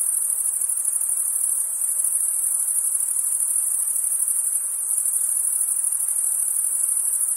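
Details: Crickets chirping on a summer night: a dense, steady, very high-pitched shimmering trill that pulses rapidly without pause, with a faint soft hiss underneath and no other clear sounds.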